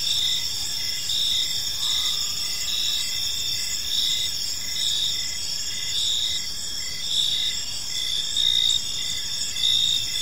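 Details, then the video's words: Crickets in a park as evening falls, overlapping high trills and rhythmic short chirps about once a second, a faint brief sweep near the second mark, soft ambient rumble underneath. "Cricket Sounds in a Peaceful Park"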